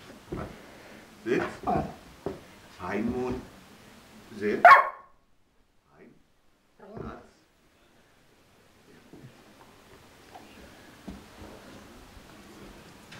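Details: Border Collie named Mona indoors, taking German commands; a man repeats 'Sitz' and 'Gib laut' in short phrases, and one sharp, loud bark sounds midway after the order to speak, followed by quiet room noise and faint rustling.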